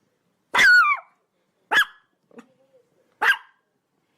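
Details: Chihuahua, a small dog breed, giving sharp high barks; the first is a drawn-out yelp that slides downward, followed by short barks about every one and a half seconds, with a faint low whine between.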